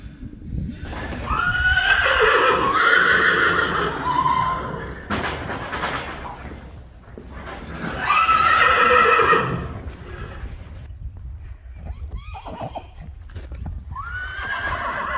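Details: Friesian horses whinnying: two long, loud, wavering neighs with a trembling tone, then a quieter third whinny near the end, over low stable background noise.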